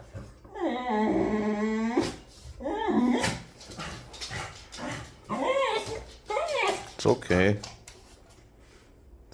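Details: Frightened male beagle reacting to a monkey on the balcony while wagging his tail, letting out long drawn whining howls and whimpers with a wavering tone, mixed with a man's calming speech in a small room.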